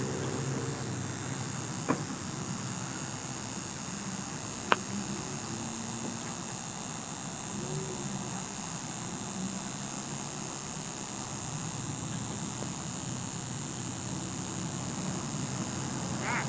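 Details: A katydid, tracked to a plant in a parking lot, gives a steady, shrill, very high buzz that runs without a break.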